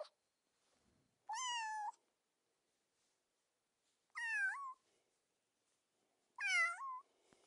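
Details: Three kitten meows a few seconds apart, each opening with a bright harmonic burst then bending downward, the last two ending in a short upward lilt.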